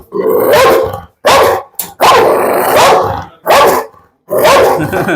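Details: Heavy, large Pit Bull described as having a fierce temper, barking in loud, harsh, broadband bursts roughly once a second, with short silences between volleys and some growl-like roughness.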